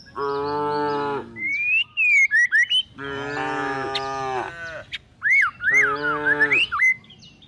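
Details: Tame cows and calves looking for food as they are herded toward a forest. Three drawn-out, low moos, each about a second long, are separated by bright, twisting bird whistles and chirps.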